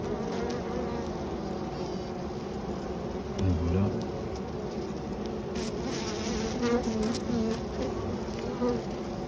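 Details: Honey bees defending their hive against a European hornet, with some bees sacrificed and others tending them; continuous low, rough buzzing throughout, with brief brighter buzzy flickers and a man's voice speaking over it.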